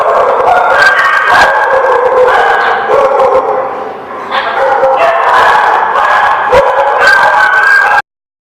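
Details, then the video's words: Dogs barking at a lot on 12/09/16, many overlapping loud barks and yips forming a dense, continuous chorus for about eight seconds before cutting off abruptly. "The Barking Lot"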